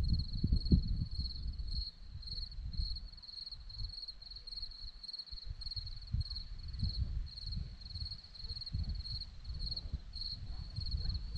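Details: On a Romanian hillside at Zorlesti, a continuous high cricket trill, pulsed in quick regular beats, runs behind heavy low wind rumble and buffeting.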